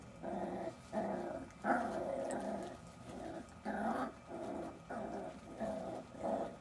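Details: Jack Russell Terrier puppies playing, giving short rough growls in bursts about every half second to second, with brief pauses between bouts.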